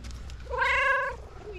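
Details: A pet cat, excited and showing her love, gives one clear drawn-out meow of about half a second with rich harmonics, steady then falling slightly at the end, with soft room noise around it.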